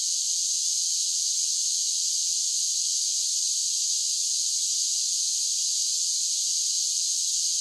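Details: A summer cicada chorus holds one unbroken, hissing high drone at constant loudness, a seamless wall of insect buzzing with no breaks and no other sounds.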